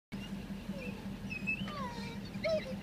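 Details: Bloodhounds greet their owner, back by car after only an hour away, with thin, wavering whines over a steady low hum.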